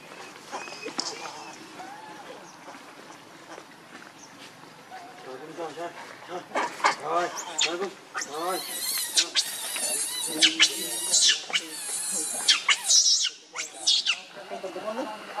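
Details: Angry, hungry baby monkey Rainbow wants milk from its mother. It starts with quieter whimpers, then breaks into a rapid string of loud, high-pitched shrieks in the second half.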